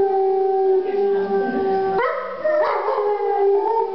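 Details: Howl of a wolf in a Verona, Italy gallery during an exhibition opening, November 2009. A sustained tone breaks into a sudden higher, wavering pitch midway, then settles into a steadier howl again.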